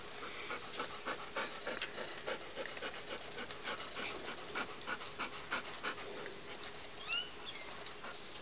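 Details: Puppies playing with a person in Puerto Rico; faint rapid breathy panting runs throughout as soft broadband pulses, with a few sharp clicks and a brief high squeaky whine near the end.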